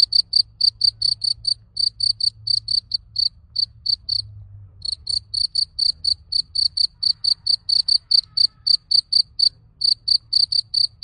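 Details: Summer cricket on a garden plot giving a steady run of high, clipped chirps, roughly four per second, briefly broken by a pause near the fourth second before resuming; soft low rumble in the background.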